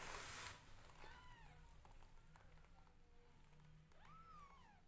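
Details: Newborn domestic kittens meowing as their mother grooms them, heard indoors: several thin, arching mews spaced a few seconds apart, one fainter in between, over a low hum, with a rustle at the start.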